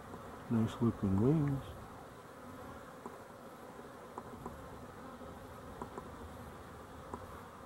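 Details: Honey bees recorded 12-11-23; a loud bee swoops past the microphone in the first two seconds with a rich, wavering buzz that bends up and down, then fades into a steady background drone of many bees with faint ticks.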